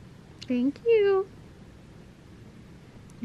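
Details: Butters, a male pet cat described as happy, gives two short harmonic meows indoors: a brief lower one, then a longer, steadier and higher one. A woman's soft voice is heard around them.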